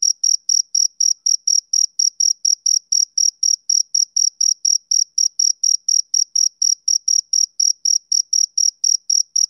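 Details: Steady chirps of a male cricket on a summer evening, nearly forty high, crisp pulses repeating about four times a second in a regular, unchanging beat, background silent.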